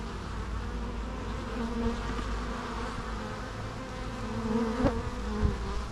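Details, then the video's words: Bees hum continuously in a thick, low droning mass, with individual wingbeat tones rising and falling and a couple of short louder close passes toward the end. "natural bee sounds"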